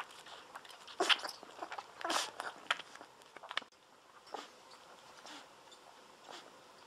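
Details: Golden Retriever puppies, 17 days old, lying on their backs while drinking milk from a baby bottle; wet smacking suckling bursts with a brief high squeak near the start, then softer, sparser sucking noises.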